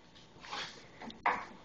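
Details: Bernie, a one-year-old puggalier, barking indoors out of fear of a calendar: two short, sharp, broadband barks about a second apart, the second louder, in a small quiet room.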